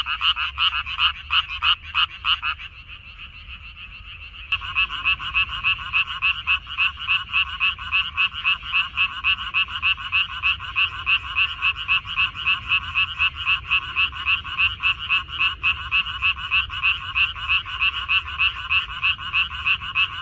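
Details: Frogs in a minari (water dropwort) field, recorded 14 May 2021. A dense, loud chorus of rapid, rattling croaks pulses about three to four times a second without pause, with several callers overlapping.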